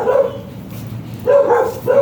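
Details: Shih Tzu dog at a stud service in San Jacinto, Pangasinan, giving short, ringing barks: one at the start, then two more in quick succession after a pause, over a low background hum.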